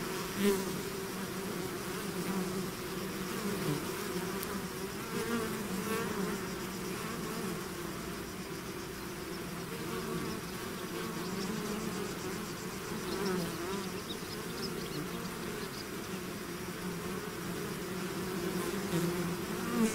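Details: Swarm of bees pouring out of its hive: a dense, steady buzzing hum with a low droning pitch, wavering gently in loudness and unbroken for the whole stretch, with individual bees passing close now and then.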